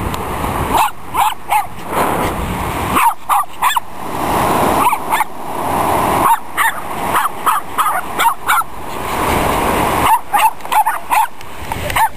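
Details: Silky Terrier named Joey on Dog Beach, Long Beach, California, running and barking. Short, yappy barks come in bursts of three to six throughout, separated by brief pauses, against a constant roar of waves and wind.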